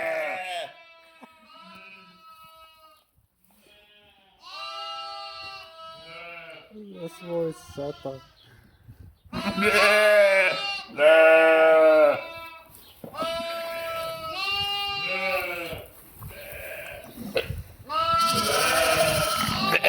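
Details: Sheep and lambs, 11/5/2026: soft scattered calls at first, then a loud chorus of overlapping, quavering bleats from several animals in the second half.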